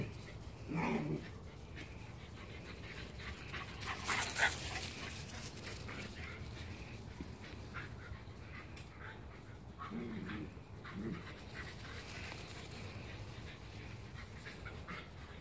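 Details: Two Shiba Inus playing give a few short, harsh grumbles and yelps, separated by quieter stretches.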